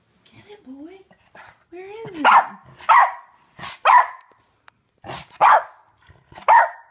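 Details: Wolfie, a West Highland White Terrier guarding his owner from a fly, gives a run of sharp barks about once a second, preceded by soft whines and rising squeaky vocalizations; a person's voice urges him on.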